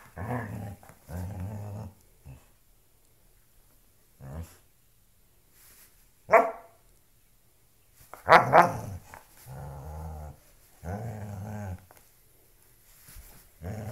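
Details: Pet dog Loki at play with a shoe, grumbling low growls in separate bursts, punctuated by a couple of sharp high barks near the middle.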